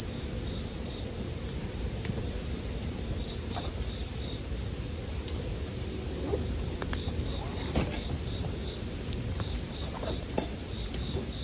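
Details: Continuous shrill ringing of bell crickets, paired with campfire sounds for sleep listening. The bright, even tone never pauses, while occasional sharp crackles from the fire punctuate the low, hissing background.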